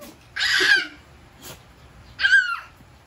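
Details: A one-year-old cream Chow Chow, protective of its territory, gives two short, high, strained barks about two seconds apart.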